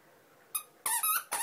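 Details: Chihuahua puppies at play, three animals, indoors: three short, high, squeaky yelps in quick succession, each bright and tonal with a slight rise and fall, separated by brief silences against a quiet room background.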